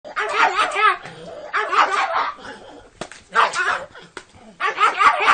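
A dog gives wavering, yodel-like whines in four separate bursts, almost like it is talking.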